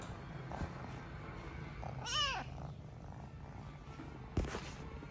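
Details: Noisy kitten purring steadily in a low rumble, broken by one short descending meow partway through and a sharp click near the end.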